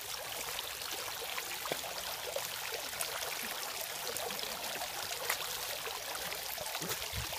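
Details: Continuous splashing and trickling water from a fountain, a bright, hissing flow with small gurgles.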